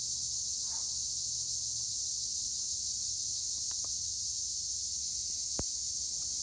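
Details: Olive-grove tree crickets at Güre in Turkey's Edremit area keep up a continuous shrill trill, steady throughout, with a few faint ticks and one sharp click late in the recording.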